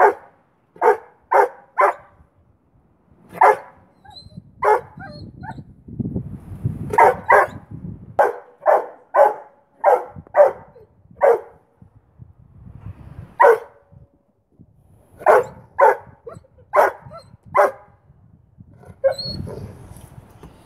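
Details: Duke, a 9-month-old boweiler puppy, barks repeatedly into the face of Bear, a 3-year-old rottweiler, over a stick in play; sharp barks in clusters of two to four across the clip, over low scuffling and rumbling sounds.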